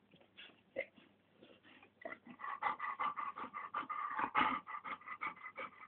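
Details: Labrador Retriever puppies of litter "A", born 20.08.2010 at a kennel, whining in a rapid series of tonal, slightly nasal cries that grow louder and more insistent after the first two seconds, roughly three per second.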